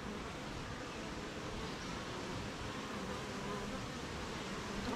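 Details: Honey bees busy at a beehive in morning rain, making honey; an unbroken, noisy swarm hum filling the whole clip evenly, with no distinct separate calls standing out.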